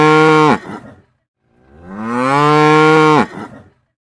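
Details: Cow mooing twice: a short steady moo, then after a pause a longer drawn-out one that swells, holds steady and cuts off, both rich and low with clear harmonics and a faint rattly tail.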